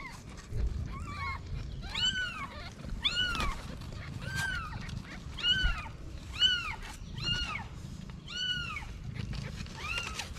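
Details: Mother cat hiding her newborn kittens in a paper box, a stray in Morocco; high arched kitten-like meows repeat about once a second over a low rumbling background.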